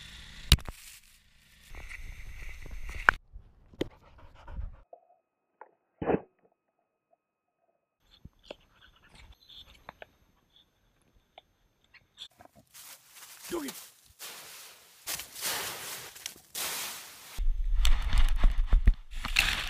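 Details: Stella, a pet dog, panting in short bursts with a brief whimpering cry, separated by quiet gaps, with scattered thumps and handling noises indoors.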